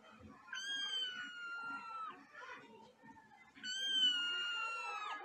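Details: Angry domestic cat, named Luna or Simba, giving two long drawn-out wailing cries, each about one and a half seconds, high harmonic tones gliding slowly downward, separated by a pause with faint background rustling.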